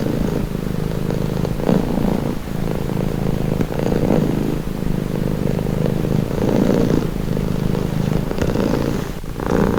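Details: House cat giving a deep, even rumbling purr, louder breath phases rising and falling in slow waves roughly every second, with brief soft rustles near the end.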